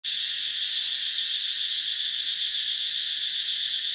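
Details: Insects, possibly cicadas, give a loud, unbroken, high-pitched buzz that holds steady, at a seasonal waterhole (trapeang) in dry deciduous forest in the dry season, Mondulkiri Protected Forest, Cambodia, 24 February 2015, around 15:01; cicada.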